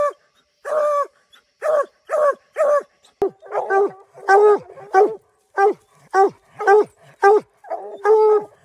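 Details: Several Bluetick Coonhounds barking treed, steady chopping barks about every half second with rich harmonics, overlapping voices in places, one sharp click midway.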